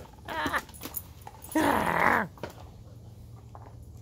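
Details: Alaskan husky at play with a ball indoors: a brief whine, then a sustained, strained, howl-like vocal lasting most of a second with a slightly wavering pitch, followed by quiet thumps.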